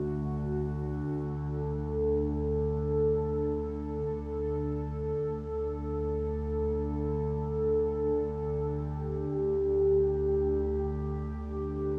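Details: Soft ambient synthesizer drones with sustained, bowl-like tones play quietly, with no animal sounds heard.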